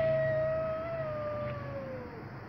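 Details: Stray cat named Tabboush, out on the street and squabbling with the neighbourhood cats, gives a long drawn meow that slowly falls in pitch over about two seconds, with faint street background.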